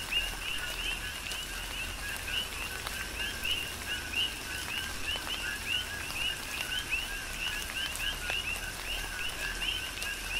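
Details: On the Big Island, Hawaii, many coqui frogs call together in a tropical rain shower; their repeated two-part 'co-qui' notes, low then sharply rising, form a dense rhythmic chorus over continuous rainfall.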